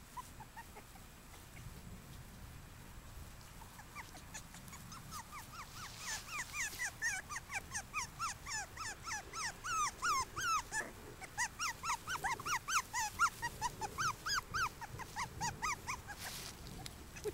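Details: Maggie's puppies at five weeks old, a chorus of high, wavering whines and squeaky yelps that swells after a quiet start and grows dense and insistent through the second half, with soft rustling underneath.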